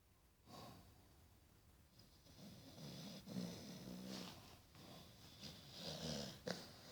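A Staffordshire Bull Terrier snores with low, rough, rasping breaths and soft snorts.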